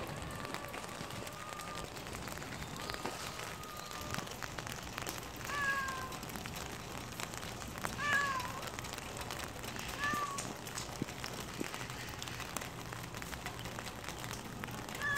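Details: A calico stray out in spring rain mews softly four or five times, each call brief and slightly falling, scattered across the recording over a constant rain-like hiss.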